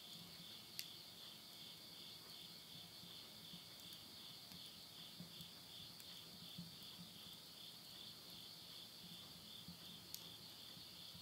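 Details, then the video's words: Countryside insects near Tottori, Japan, sing at midnight in September 2020: a continuous high, buzzy ringing in two bands with a light rhythmic pulse, and occasional sharp pops from a stove fire. "the voice of insects"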